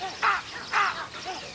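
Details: After monkeys begin alarm calling, baboons give harsh, barking alarm calls, two loud blasts about half a second apart, signalling a predator nearby; a leopard then appears about 100 yards away.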